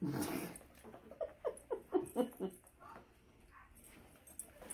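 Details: Male Alaskan Malamute with stolen butter pecan ice cream gives a rapid run of short, rising whiny yips, about four per second for around two seconds, then falls quiet amid faint room noise and a person's voice.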